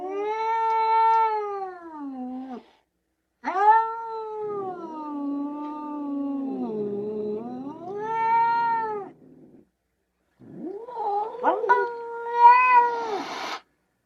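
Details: Domestic cat producing three drawn-out, wailing yowls, each several seconds long, dipping and rising in pitch like a moan, with short silent gaps between them; the last call is rougher and more broken.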